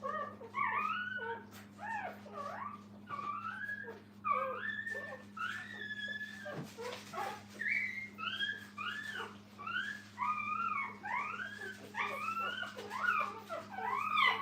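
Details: Whining puppies with their mother at a training kennel: a long run of rising and falling squealy cries, several overlapping at once and repeating steadily, over a faint constant hum.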